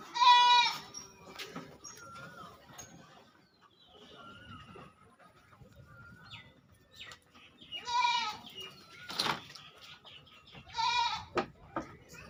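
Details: Goat bleats from a West Bengal farm housing fifteen goats: three short, quavering bleats near the start, middle and end, with quiet shed noises, faint distant calls and some clattering in between.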